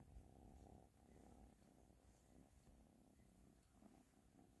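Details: Close, continuous purring from Ashley the cat: a dense low rumble with rhythmic pulses filling the whole stretch, no other sounds.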